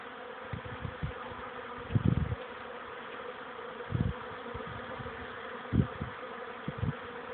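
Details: Young honey bees making orientation flights outside a hive on 13 May 2013 at 14:04, a warmer afternoon after several cold, rainy days; constant background hum with low, swelling buzzes of bees flying past about every two seconds.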